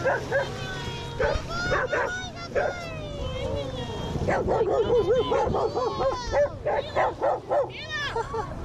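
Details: Off-leash dogs closing in on a male Siberian Husky on a Lake Nacimiento walkaround give a rapid, excited run of barks and high yips with whining tones, while a man talks over the commotion.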